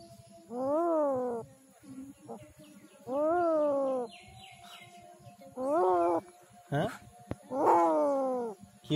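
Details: Injured street cat in Kishoreganj, Bangladesh, badly bitten by dogs and crying in pain; four drawn-out, wavering wails, each about a second long, roughly every two to three seconds, with faint background noise and brief clicks.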